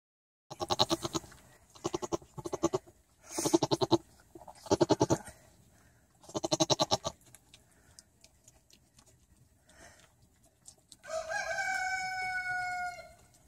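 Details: Newborn baby pygmy goat named Blurt during his first floppings around: a series of pulsed, stuttering bleats in short bursts, then a longer, steadier bleat with a clear tone near the end.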